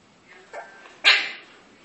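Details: Two English bulldog puppies play together; one gives a sharp, high yip after a softer muffled grunt.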